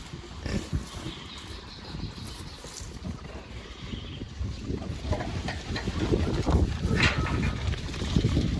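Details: Wild boars at a farm in Vietnam's Central Highlands, foraging, grazing and eating corn in the morning; deep, rapid grunting and snorting grows louder toward the end amid rustling and munching.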